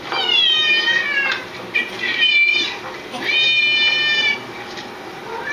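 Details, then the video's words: Pet cats reacting to recorded cat meows by meowing along; three long, loud, harmonic meows, each held about a second and gently falling at the end, in a small indoor room. "reaction of my cats listening to other cats meowing"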